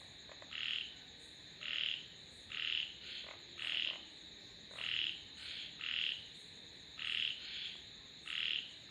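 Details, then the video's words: Frogs calling in a steady series of short, bright, rasping croaks, each about half a second long, roughly once a second, over a faint constant high hiss. "Sounds of Frogs / தவளைகளின் இசைமழை"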